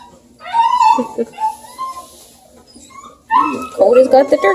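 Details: Bluetick Coonhound puppies at play alongside Redbone pal Luke, Ontario, Canada: a rising whine, then scattered squeaky cries, followed by a dense burst of overlapping yips and squeals.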